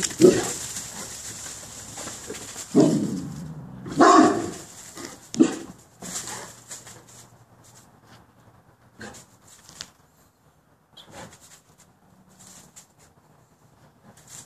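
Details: Boerboels letting out several loud, deep barks in the first six seconds, spaced irregularly, then quieter scattered sounds and faint breathing as the activity dies down.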